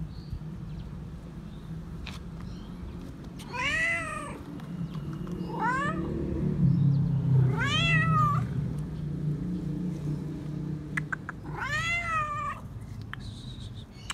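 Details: Four arching meows, spaced about every two to four seconds, from a stray tomcat insisting on being petted, over a low rumble of background noise.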